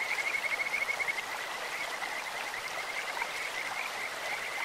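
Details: Kajika frog calling in a clear stream: a high, thin trill of rapid pulses, loudest in the first second, then continuing as a steady whistled note over the constant rushing hiss of flowing water.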